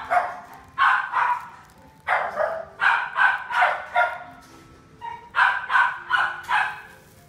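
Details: Toy poodle, a black male born in 2018, gives a run of quick, sharp, high-pitched barks in bursts of three or four with short pauses between them.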